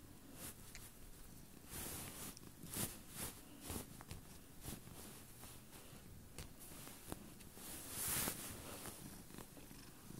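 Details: Pet female cat purring like crazy on a bed beside its owner, a continuous low rumbling drone with scattered rustles and brief louder swells from handling.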